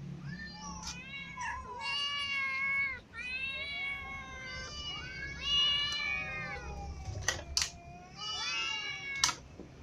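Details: Ginger cat clawed by a new white cat while eating, so it eats lying down; long drawn-out meows with rich harmonics, several rising and falling wails in a row, a few sharp clicks near the end, quiet indoor room.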